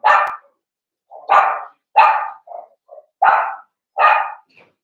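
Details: Blenheim Cavalier King Charles Spaniel puppies, one of a litter of five born on New Year's to Paris and Spike at Red Barn Cavaliers, yap in about five sharp, bright barks spaced under a second apart, with a few soft whimpers between them.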